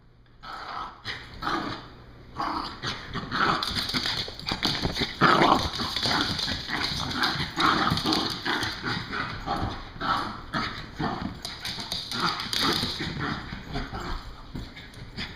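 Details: Two puppies at play, breathing in quick, breathy bursts that repeat steadily throughout, mixed with scuffling and soft whimpering yips, over a steady faint background hum.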